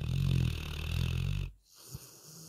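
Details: A sleeping retriever snores with a low, throaty rattle lasting about a second and a half, then falls to near silence broken only by a faint soft snuffle.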